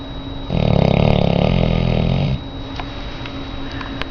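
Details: Lola, a very large auburn female Labrador Retriever in rescue, sleeping indoors: one long, low, rattling snore lasting about two seconds with a fast pulsing texture, then quiet room tone with faint small clicks.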